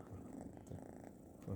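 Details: Orange kitten sleeping on a lap indoors, snoring and purring: low rumbling purr with soft rhythmic pulses, slightly louder near the end.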